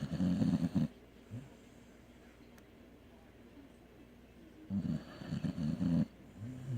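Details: A dog asleep lets out a long, gravelly snore, falls quiet for several seconds, then starts another rumbling, fluttering snore with a brief soft wheeze at the end.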